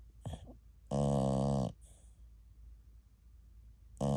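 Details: TuTu, a sleeping American Cocker Spaniel only ten months old, snores like an old man: a few short snuffles, then a loud, buzzy, harmonic snore of under a second, a pause, and another snore starting at the end.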